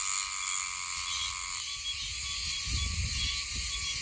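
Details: Oshima cicada (Meimuna oshimensis) singing in a green area north of Okinawa City, Okinawa, where it calls from late June to about December, peaking in October. The song is a loud, continuous metallic drone with steady high tones that shift abruptly partway through, over a low rumble.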